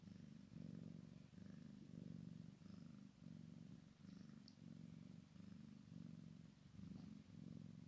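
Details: Rhythmic rumbling purr from a Maine Coon x Sphynx kitten playing with its mother, even breath-paced pulses repeating roughly every second, faint high ticks and rustling over the top.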